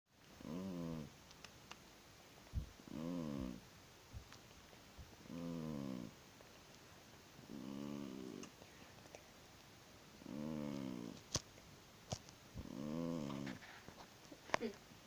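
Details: Domestic cat snoring loudly while asleep indoors: six harmonic rasping snores with strong banded overtones, each about a second long, spaced roughly every two and a half seconds, with faint clicks between.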